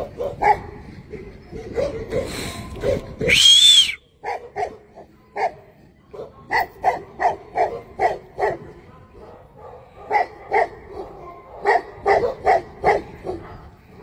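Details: A Tibetan Mastiff gives a long run of irregular barks, several every second, broken by a brief high-pitched whining sound near the start, then resuming with steady repeated barking.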